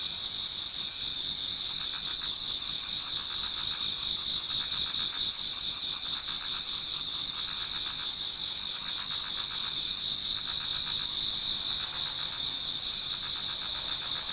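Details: Insects of autumn chorusing in a Japanese garden as dawn approaches; shrill sustained trills with fast rhythmic pulses, a constant high wall of sound without other noises.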